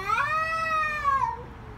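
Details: A single sustained scream from a fighting cat, a steady strained yowl that holds level then slides downward and fades.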